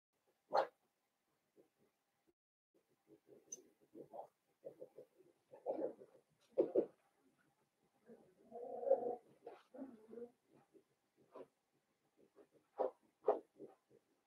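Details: Blenheim Cavalier King Charles Spaniel puppies, a litter of five born at New Year's, in an indoor puppy pen: bursts of short yips, whimpers and grunts, some sharp higher yelps, scattered over the whole stretch with quiet gaps.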